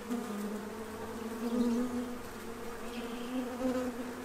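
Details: Feeding bees gathering at a tray before winter in Central Illinois, a clear buzzing drone whose pitch wavers slightly as individuals fly near, louder swells around 1.6 and 3.5 seconds.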